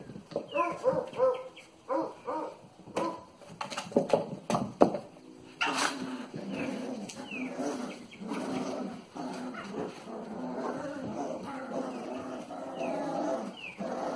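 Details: Cavalier King Charles Spaniel puppies, two males born January 26th, in Nacogdoches, give a run of short harmonic whines and yelps that rise and fall, sometimes overlapping, with a few sharp clicks and bumps between them.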